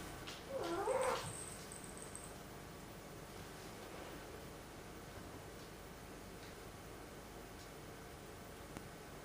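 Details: Momo, a black cat, gives a single short complaining meow early on, followed by near silence with a faint room hum.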